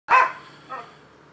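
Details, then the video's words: Dog barking in the morning of 25 October 2015 at a neighbouring rental property in Seminole, Florida, described as nuisance behaviour: one loud sharp bark, then a softer second bark about half a second later, over a faint low hum. "Barking Dogs"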